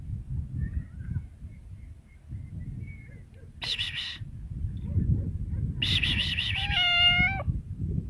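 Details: Cat producing breathy, noisy vocal bursts, then one short clear meow near the end, over a quiet low rumbling background.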